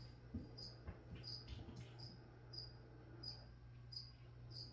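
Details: Cricket heard in a quiet room during plant spraying, giving brief high chirps roughly every three-quarters of a second over a faint low hum, with a few soft thumps.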